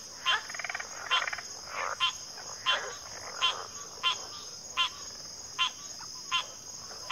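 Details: Frog chorus with short rattling trills and pulsed croaks in the first seconds, followed by evenly spaced crisp clicks nearly every second, backed by a constant high-pitched insect tone.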